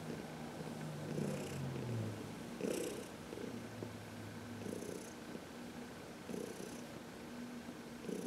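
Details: Low purring from 14-year-old Heidi, an adopted senior cat, being massaged in sunshine on March 19, 2021; rhythmic rumbling swells come quickly, with a faint steady hum beneath.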